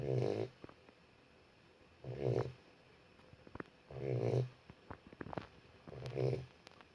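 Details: Boxer puppy asleep, snoring in slow regular breaths about every two seconds, each a low rumbling snore with a buzzy harmonic band, quiet indoor room between breaths.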